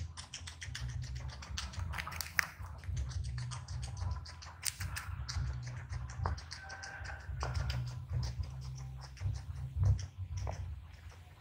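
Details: Close-up ASMR eating by a small guinea pig: sharp, irregular crunching taps like quick keyboard clicks, some louder snaps among softer nibbling, over a constant low background hum.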